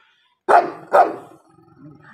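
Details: Two loud, harsh barks about half a second apart from dogs in a fight, followed by a low rumbling growl-like tail and faint background sound.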